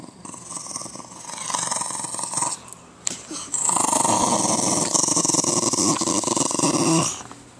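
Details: Patterdale Terrier growling indoors, a rough, pulsing rumble in two long sustained bouts with a short gap between them, harsh and steady throughout.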